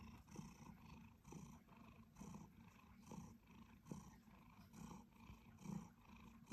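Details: Quiet, deep purring from a two-year-old male Siberian Forest cat at home, pulsing with each breath in and out, around seven swells in under seven seconds.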